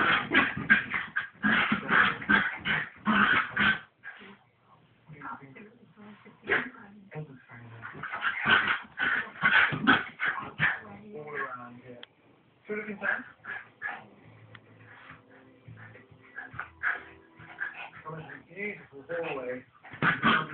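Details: Playful scuffle between two domestic dogs: rapid runs of harsh barks and snarls at the start and around the middle, separated by quieter stretches of grumbling and whine-like tones, then renewed barking at the close.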